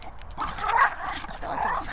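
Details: Two Chihuahuas, Charlie and Queenie, messing around in play: short, breathy yipping and growly bursts in the mid range, with a louder peak near the middle, over a quiet indoor background.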